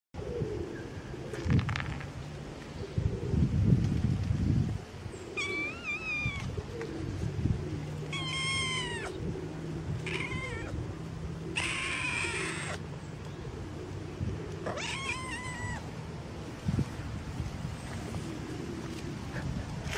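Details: Fluffy kitten meowing and purring while playing with fingers: about five clear, high meows with rich harmonics, some bending up then down, spaced a few seconds apart over a low steady rumble and rustling handling noise.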